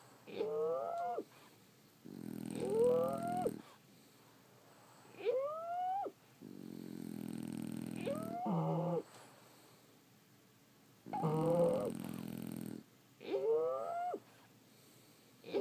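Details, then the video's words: French Bulldogs asleep indoors, snoring: about six rough, buzzy breaths roughly every two seconds. Each carries high whistled squeaks that rise and bend, with quiet pauses between. "Snoring French Bulldogs"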